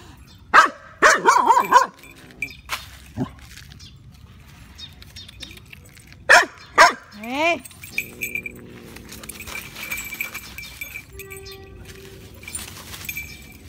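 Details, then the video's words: Dog, a Shiba Inu, confronting a cat, gives several sharp barks in quick bursts near the start and again around six seconds, followed by a sliding whine-like cry, with a steady high insect-like tone and a person speaking Thai afterwards. "DOG VS CAT REAL FIGHT/เมื่อเเมวเจอสุนัขถึงสองตัว แมวจะสู้หรือจะถอยไปดูกัน/เสียงสุนัขเห่า"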